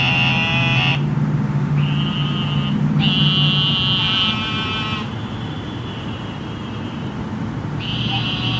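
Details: Several eastern narrow-mouthed toads in Houston after flooding rain give overlapping sheep-like buzzes, each one to two seconds long, one after another, with a constant low hum of urban traffic underneath.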